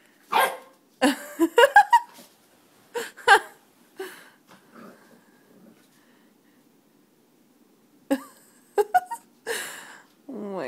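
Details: Seven-week-old female puppy seeing herself in a mirror for the first time, giving short sharp barks and yips in bursts, with a rising whine near two seconds, a pause, then more barks and a soft whimper at the end.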